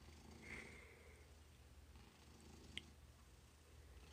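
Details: Happy domestic cat purring: a faint, low, steady rumbling drone with a brief thin high squeak near the start and a sharp click later.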